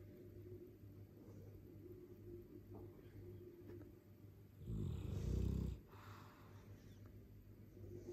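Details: Dogue de Bordeaux asleep, with a faint low hum and soft rasping breaths before one loud, heavy, snorting snore swells up for about a second midway, then quiet breathing resumes.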